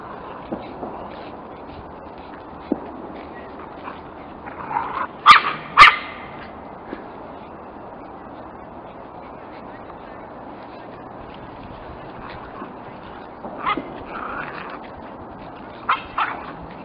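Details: Lakeland Terrier puppies giving a few short yaps and whimpers, mostly in bursts around five to six seconds and again near fourteen and sixteen seconds, over a steady low background hiss with long quiet gaps.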